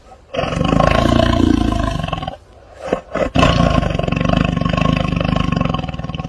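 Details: A tiger (Panthera tigris) gives two deep, rasping roars with a short pause between them.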